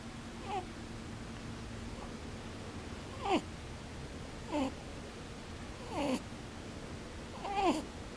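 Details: Sleeping rabbit, eyes still open, snores in short wheezy squeaks described as 'pū pū, bū bū', each a little rising-then-falling tone, coming about every one and a half seconds and growing clearer toward the end.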